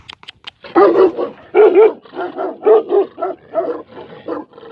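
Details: Tibetan Mastiff, the livestock guardian dog known in Nepal as Bhote Kukur, giving a run of about seven deep, hoarse barks over four seconds at uneven spacing, with a few sharp clicks just before.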